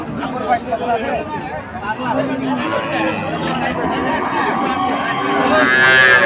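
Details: Cows with calves at Ambari livestock market in Dinajpur on 24 May; a low, drawn-out moo with steady harmonics sounds over busy market chatter, with people talking throughout.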